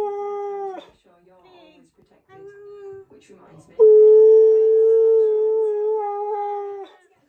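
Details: Siberian Husky indoors, vocalising angrily while his owner talks over him: short steady howled tones broken by pauses, then a loud sustained howl of about three seconds that holds a level pitch before cutting off.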